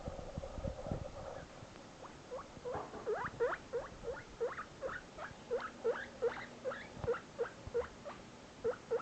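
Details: Shinobi, a newly adopted pet guinea pig, squeaking while separated from his companion Barbock: a steady run of short upswept squeaks, about three per second, with some rustling and handling noise near the start.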